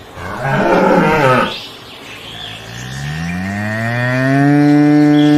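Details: Adult cow mooing: a short broad noisy burst, then a long rising, strongly harmonic moo that swells louder toward the end.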